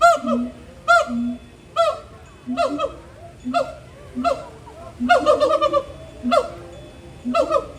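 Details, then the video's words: Gibbons in a zoo enclosure at Disney's Animal Kingdom, mid-September, in a lively throat-call display; strong honking whoops with rich overtones alternate with short low hoots, the calls speeding up and overlapping toward the end. "Rare'ish Gibbon Throat Call"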